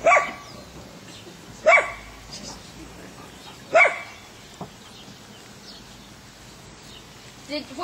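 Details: Three loud, separate barks a second or two apart, then quieter sounds, as an Airedale puppy named Lilly meets three Weimaraners; faint speech and household noise run underneath.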